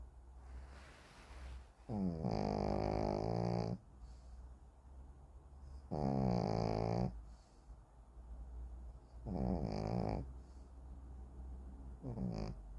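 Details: Deeply sleeping Shih Tzu Kim Simon snores in long rumbling, raspy bursts of one to two seconds, recurring every three to four seconds, with faint breathing in the gaps and nothing else heard.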